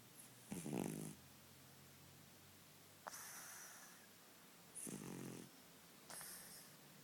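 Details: A sleeping ten-year-old cat snoring indoors: one short voiced, buzzy snore, then three breathy, hissing rasps, each about a second long, with quiet pauses of one to two seconds between them.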